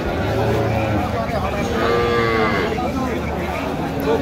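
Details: Sahiwal cow with her female calf for sale at Ambari haat, Dinajpur, on 5 December 2025. A low drone opens, then a brief arching moo rises and falls near the middle. Buyers haggle loudly nearby in a busy market.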